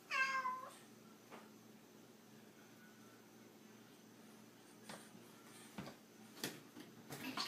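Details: Domestic cat in a funny pet compilation gives one short, clear, harmonic-rich meow at the start that bends down in pitch, followed by a quiet indoor room with a few faint clicks and knocks.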